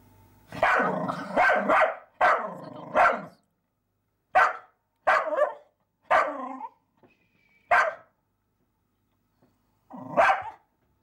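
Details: Barking at a mouse that teases him, the dog Sparx lets out a rapid volley of loud, harsh barks, some doubled and run together, then spaced single barks every second or so, ending after a brief silence.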